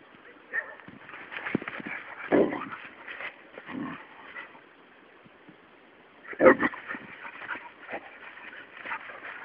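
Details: Luna, a three-month-old Labrador Retriever puppy, scuffles and whimpers as she bites at a toad. Soft whines and snuffling mix with thumps, and two louder bursts stand out. A voice talks quietly in the background.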